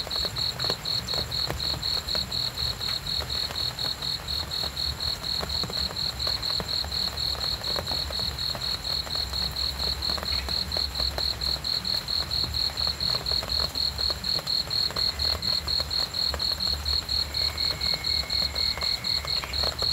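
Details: Cricket chirping: high, rapid, evenly spaced pulses repeated steadily throughout, forming a continuous trill-like pattern over a low background rumble with faint scattered clicks.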